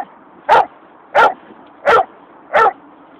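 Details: Four loud, evenly spaced barks, about one every 0.7 seconds, each short, harsh and forceful, from angry Dobermans attacking a coyote.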